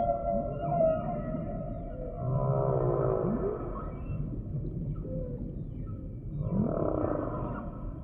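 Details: Humpback whale song: a layered sequence of low grunts and moans beneath wavering mid-pitched tonal cries, with short rising sweeps and a pulsed, buzzy passage, the units rising and fading in overlapping phrases.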